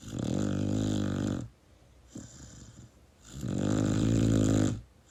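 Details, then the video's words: Pit Bull puppy snoozing in its owner's arms: two drawn-out, deep, vibrating snores about three seconds apart, with faint exhaling between. "Pitbull puppy snoring while cuddling with his owner"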